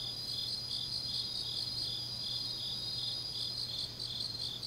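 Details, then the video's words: Grass insects on a deep autumn night in Changnyeong, South Gyeongsang, Korea, several chirping together in high, steady trilling bands with faint pulsing, a continuous layered night chorus and a low steady hum beneath. "깊은밤 가을 풀벌레 소리"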